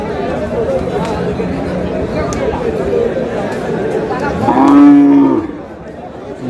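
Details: Cow for meat being sold at a cattle market in Chattogram, Bangladesh, on 18 April: a single loud, steady, low moo lasting about a second, over constant crowd chatter and bargaining voices.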